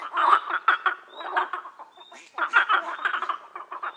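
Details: Several frogs croak together in rapid, rasping pulses, loud clustered bursts at the start and again after a short quieter stretch, with a faint thin whistle-like tone in the background.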